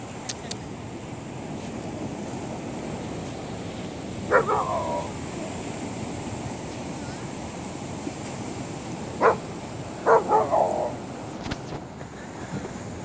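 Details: Maverick, a golden retriever on a beach in Kauai, barks after finding a sea cucumber: three short, mid-pitched barks spaced a few seconds apart, one alone and then a close pair, over a steady wash of surf.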